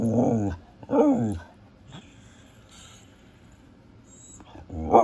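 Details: Female Siberian husky making husky noises: two quick whiny, rising-falling talking yelps in the first second, a quiet stretch, then another abrupt yelp at the end.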